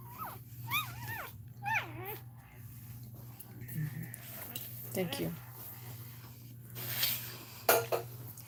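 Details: Cane Corso crying indoors while another dog, Cashmere, is in labour: two high, wavering whines that bend up and down near the start, then softer short whimpers, over a steady low room hum with human voices.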